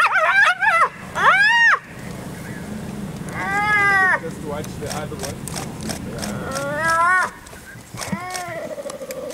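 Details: Adult spotted hyena relentlessly attacking a young hyena of its own clan: a series of rising-then-falling whining squeals, some short and steep, others drawn out, with brief radio-style human talk between calls.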